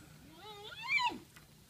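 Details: An infant giant panda at the Chengdu panda centre, excited about biscuits during feeding, gives a single faint squeal that climbs steadily then peaks and breaks off within about a second, followed by a quiet room.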